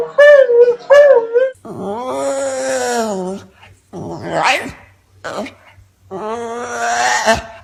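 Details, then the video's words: Domestic dog producing odd, funny moaning noises: short wavering yodels, then long drawn-out arching howls broken by gaps, with human voices mixed in, indoors. "Dogs Funny Sounds"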